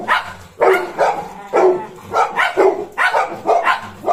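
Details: Golden Retriever puppy, accompanied by a German Shepherd, giving a series of about seven loud, bright barks spaced roughly half a second apart, each bark clipped and slightly rough.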